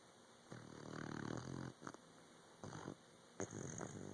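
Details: Puppy asleep, giving one drawn-out raspy snore followed by several shorter, uneven snorting breaths in a quiet room.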